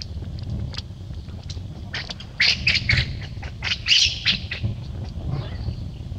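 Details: After a quiet, rumbling start, baby monkey Lucie, kicked into a hole by Luna, breaks into a rapid, uneven string of piercing screeches.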